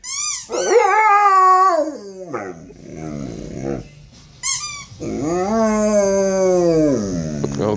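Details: Yawk the dog objecting to the sound of his football: a loud wavering howl, a stretch of softer whimpering yelps, then a second long, rising-and-falling howl.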